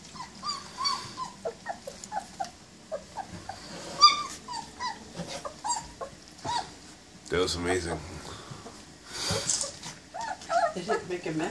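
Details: German Shepherd litter, 20 days old, during their first meal: repeated short high whimpers and squeaks through the first half, then louder bursts of broadband noise with human voices mixed in.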